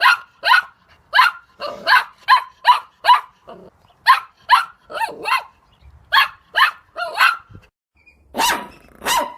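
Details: Dog giving fast, uneven bursts of sharp barks, some in tight pairs, with a few short pauses and harsher, noisier barks near the end.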